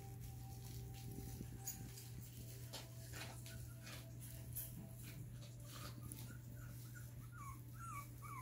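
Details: Schnauzer puppies indoors give short, high, rising whimpers and squeaks, clustered toward the end, over a steady low electrical hum and faint background shuffling.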